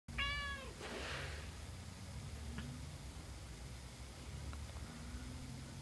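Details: Domestic cat Peach with her day-old kittens indoors: a single short, high, tonal mew right at the start, then quiet with a low steady rumble underneath.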